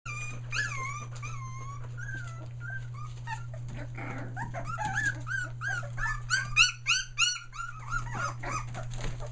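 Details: Litter of Australian Shepherd puppies one day short of three weeks old, including three merle pups, newly finding their voices near Mooresville, North Carolina: overlapping high squeaky whimpers and yelps, some rising then falling, quickening into a busy chorus over a steady low hum.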